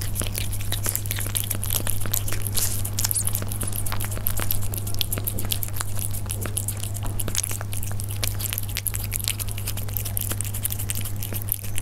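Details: Persian cats eating, recorded up close: dense, rapid crunching and chewing clicks continue throughout, with a steady low hum underneath.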